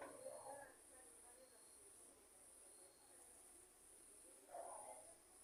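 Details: Night-time cricket chorus amid lightning: a continuous high-pitched ringing trill that pulses in segments, over soft muffled voices that swell briefly at the start and near the end.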